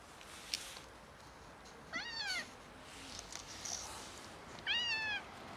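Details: A pair of stray cats in poor health, one of them sick, produces two clear, drawn-out meows that rise and then fall, roughly three seconds apart, against a quiet background with faint rustles.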